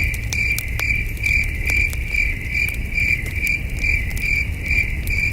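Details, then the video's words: Crickets chirping at night at a starry campsite, a steady pulsed tone repeating a little over twice per second, with sharp crackles from a campfire and a low rumbling background. "Soothing Cricket Sounds"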